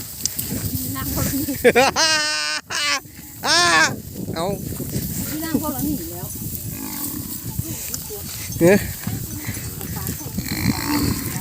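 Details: Cattle being driven back to their pen across a grassy field; several drawn-out, harmonic moos in the first few seconds, then men talking loudly and music playing over outdoor background noise.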